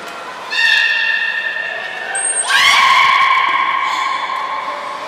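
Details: Nana the beluga in training at Port of Nagoya Public Aquarium, April 2019: a steady harmonic whistle held for two seconds, a brief high squeak, then a lower drawn-out whistle that rises slightly at its start and fades.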